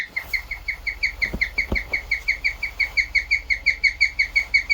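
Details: A male guinea pig named Copper chirps in a fast, steady series of high, bird-like notes, about three per second. It is his first chirp in over a year; chirping is rare and its reason unknown.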